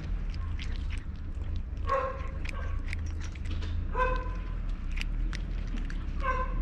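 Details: Tabby cat with a booming, guttural voice meowing, apparently hungry; three low, drawn-out harmonic meows spaced about two seconds apart over a steady low hum.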